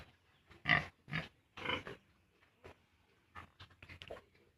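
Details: Farm pigs, piglets due for weaning from their sow at 32 days old, give several harsh, breathy grunts early on, then softer, scattered snorts that fade toward the end.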